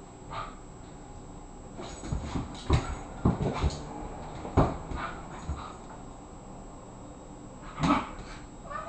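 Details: A 24-pound Irish Terrier boxing in play with an 18-pound housemate: scattered short rough bursts and scuffling thumps, with a louder yelping burst near the end, over low indoor hum.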